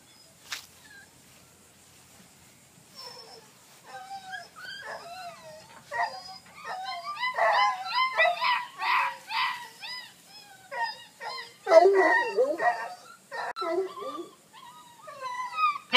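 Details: Two male Blackcreek puppies, Ringo and Mingo, recorded 26 August 2013, making a busy run of high, wavering whimpers and sharp yips that rise and fall in overlapping bursts, louder toward the end, with a few short spoken words.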